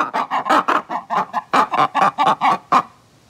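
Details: Two captive black-and-white ruffed lemurs give a harsh alarm call of rapid, raucous barking pulses, a response to a disturbance such as loud noises or predators.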